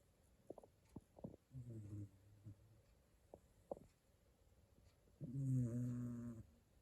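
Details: A dozing Shiba Inu makes a faint, short snore early on, then a louder low rumbling snore near the end, with scattered soft clicks and mouth noises in a quiet indoor space.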